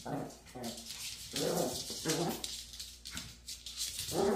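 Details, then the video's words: Maltese dog persistently attacking its own tail, giving short low growly grumbles and whimper-like vocal bursts in quick succession, with scratchy rustling and thumping from play between them. "#말티즈 "집요하게 꼬리만 공격""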